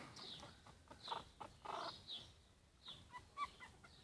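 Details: Yorkshire Terrier puppies at four weeks old, squeaking and whimpering in short high-pitched yelps with a few lower, rougher notes, irregular bursts separated by brief pauses.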